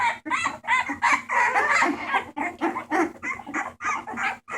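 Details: Rescue bulldog puppies, 28 March 2014, filling the air with dense, clucking squeals and yelps repeated about three times a second, several voices overlapping, with a faint steady hum.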